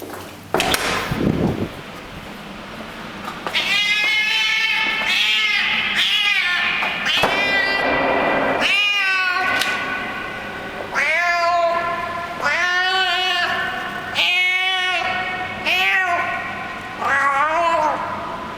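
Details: Hungry street cat that frequents a building's garage basement, making weird 'happiness' noises while eating food it was given: a run of about ten wavering, harmonic meow-like calls in quick succession after a brief noisy start.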